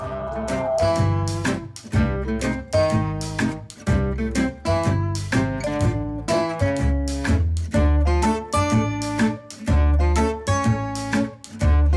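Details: Steady plucked and strummed acoustic guitar music fills the whole stretch, with no animal voice audible.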